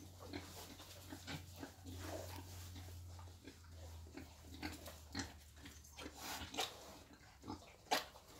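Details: Wild boar led to mating, with scattered short grunts and snorts over a steady low engine-like drone, sharper clicks and a loud grunt near the end.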